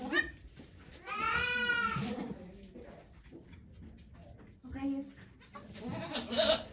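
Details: Goat at Yoshigake farm, Japan, during Okayu's delivery of two kids on 3 May 2023; one strong quavering bleat followed by fainter shorter calls, with talking and rustling around.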